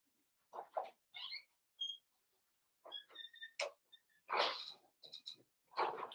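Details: Five-week-old Cavalier King Charles Spaniel puppies in their indoor pen give short high squeaks and thin whistled whines amid soft snuffling grunts and rustling, in bursts about every second.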